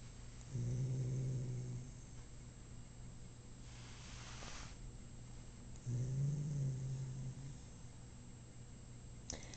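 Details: Two deep, mournful groans from a male cat after a dental cleaning at the vet, each lasting over a second, separated by a brief rustling noise in a quiet room.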